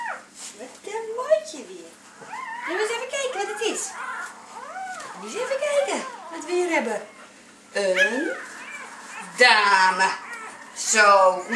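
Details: Last-born of an eight-puppy Labrador Retriever litter, a small red female, cries moments after birth: a rapid run of arched, wavering squeals and whines, about forty a minute, while a person speaks softly nearby.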